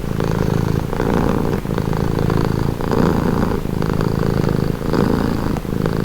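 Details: Domestic cat purring steadily in a calming recording, a low rumbling drone with rhythmic pulses, alternating inhale and exhale phases roughly every second and a half, with no other sounds.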